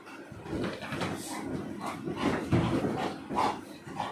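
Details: Cocoka, a pet Labrador Retriever indoors in a small room, barking and growling during play with another dog; short rough barks and yips repeat irregularly, with people talking nearby.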